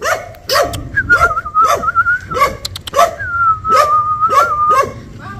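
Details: ['Dog barking at a stranger: a steady run of single barks roughly every half second. A long, wavering human whistle plays beneath most of the sequence, with a few sharp clicks near the middle.']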